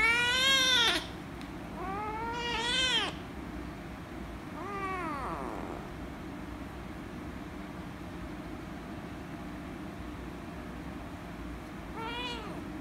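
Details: Angry rescue kitten meowing loudly when petted: three loud, harmonic-rich meows in the first six seconds, each rising then falling, followed by a long quiet stretch and one fainter meow near the end.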